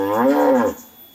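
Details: A cow gives a short, deep moo that swells and then fades; the cow had reportedly been raging shortly before.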